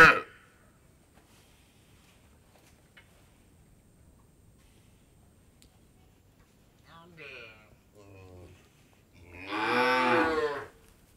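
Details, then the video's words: Indian dairy farm cow: quiet barn stillness, then two short, soft lowing calls, followed by one full, loud moo rising and falling near the end. "Cow Moor | Indian Dairy Farm Ambience"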